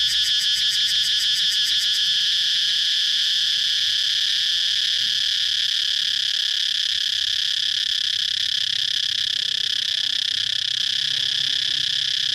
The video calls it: cicada chirping sound